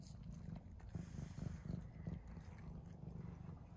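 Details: Indoor pet cat, Mouse or Remi, devouring a tuna treat; low rhythmic purring rumble with louder bursts of eating noises near the middle, quiet background.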